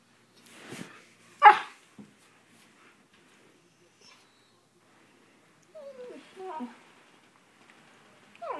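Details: Siberian Husky playing a game in which a hand attacks him, a game he loves: one short, sharp bark near the start, then quiet, then a run of whiny, sliding yelps and growly vocal sounds toward the end.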